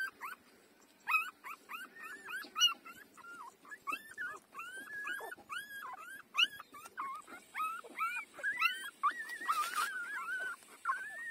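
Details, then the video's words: Breastfeeding puppy five days old, whining almost continuously in a busy stream of high, wavering squeaks and short yelps over a background of rustling and faint clicks. "beautiful puppy 5-days-old take breastfeeding"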